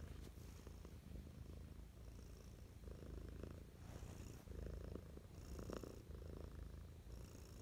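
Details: Affectionate morning purring from a house cat: a continuous deep, even rumble that swells slightly midway, with soft rustling.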